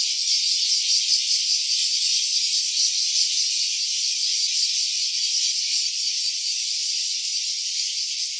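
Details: A cicada's rattling drone in stereo, constant and high, with quick regular throbs in the first seconds that smooth into an even buzz, fading slightly toward the end.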